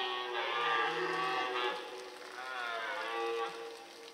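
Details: Rutting red deer bellowing in the Forêt de Chaux in the Jura near Dole, with fighting males and hinds nearby; two hoarse, harmonic-rich roars, the first louder, the second fading as it draws out.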